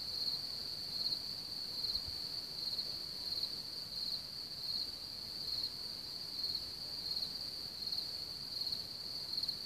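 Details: Cricket chorus at Hamr near Chlum u Třeboně, home to one of Bohemia's biggest cricket populations: a constant piercing high trill with brighter chirps standing out roughly every second, plus a brief low thump.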